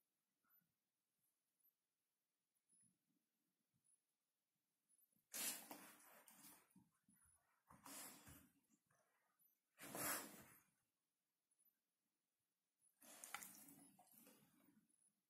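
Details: Hungarian Vizsla doing its New Year's talk: after a quiet start, four loud, breathy, noisy bursts of huffing grumbles arrive every two to three seconds, each lasting about a second, in a small quiet room.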